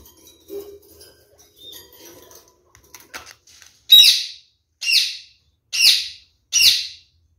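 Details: Pet pair of kakariki exploring a newly installed nest box, curious after their owner noticed them kissing often; after soft rustles and faint chirps, four loud harsh scratchy chattering calls come roughly once a second.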